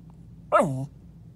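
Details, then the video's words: Pet dog talking under a bed: a single brief harmonic grumble that starts high and slides down into a low, steady groan lasting about a third of a second. "my dog talking under my bed"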